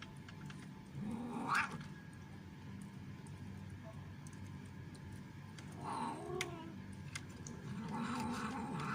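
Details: Orange stray cat making very loud noise while eating, scaring other cats away: drawn-out, wavering cries near the start, middle and end, over a low steady background hum.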